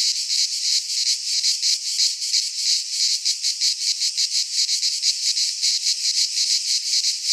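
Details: Cicadas singing in midsummer in a pine forest in Greece: a dense, continuous buzzing drone pulsing in rapid waves, several beats per second, with no other sounds.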